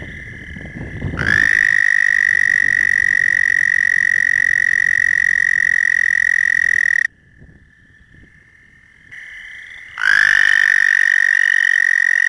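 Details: American toad, one of the most common amphibians in the area, calling from water from about April: a long steady high musical trill held for about six seconds, a pause with quieter trilling, then another loud sustained trill begins.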